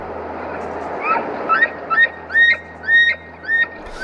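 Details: An elk (wapiti) bugles in a series of high, rising whistled squeals during rut rivalry. Despite its size, it gives more a squealing song or yodel than a roar.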